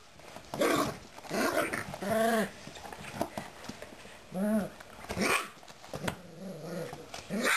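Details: Bernese Mountain Dog puppies, four and a half weeks old, at a breeder, growling and whining indoors; short low growls and rising, wavering whimpers come in irregular bursts, with rustling between them.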